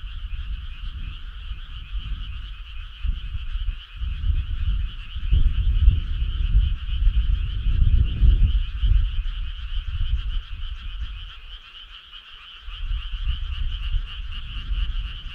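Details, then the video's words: Frog chorus on a summer night: a steady, dense trilling hum in two bands runs throughout, with bursts of deep low rumbling swelling and fading between roughly 3 and 10 seconds and again near the end. "Cool frog sound"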